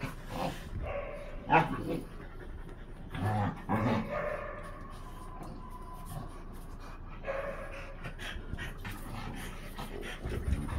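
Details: Freya, a Blue Thai Ridgeback, playing with her French Bulldog friends; short bursts of rough growling and grunting come in irregular clusters, with panting and scuffling between them and low-level background noise.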